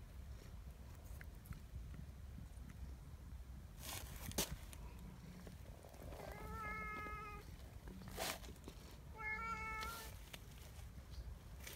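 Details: Big affectionate black community cat outdoors, repeatedly drawing a person's hand in and biting it; two clear flat harmonic meows a few seconds apart, with sharp tapping and rustling noises and low background rumble.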